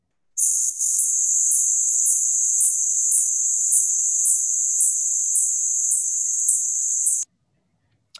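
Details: Several spotted bats hunting insects near a bridge at Valley Campground in Nevada echolocate at 9–12 kHz, audible to humans: high, insect-like buzzing with regular ticking pulses several times a second.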